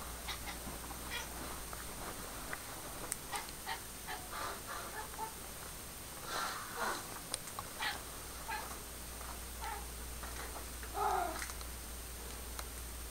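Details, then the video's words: Pet cat Pepper vocalising at a laser-pointer dot indoors, making brief chirps and a clearer rising meow-like call near the end, with soft background room hum. "Cat Talking Crazy"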